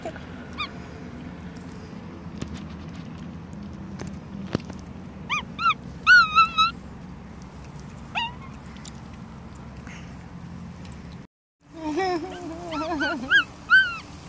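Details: Pet capuchin monkey Masyanya at her third birthday, dressed up with a cake, on a warm summer-like October 7th; a run of high, wavering chirps in short bursts, then more warbling squeaks after a brief gap, with household background.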